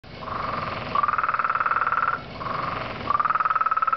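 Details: Very loud frog from a pond, giving long pulsed trills at a steady mid pitch, each burst about a second long and rising slightly, repeated with short pauses between them.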